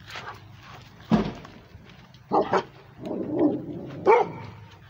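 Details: Rhodesian Ridgeback barking at the transportation, giving a series of sharp, harsh barks, including a quick double bark, spaced about a second apart over a low background rumble.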